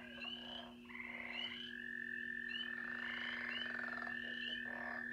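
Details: Mixed frog chorus replayed from a recording so listeners can pick out different frogs: overlapping pulsed, trilled calls at several pitches, mid and high, over a steady low electrical hum.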